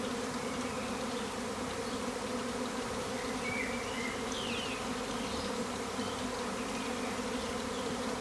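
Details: Massive wild swarm of thousands of honey bees outside an upstairs garden window in April 2020: loud, dense, continuous droning hum with steady low tones, faint bird chirps above.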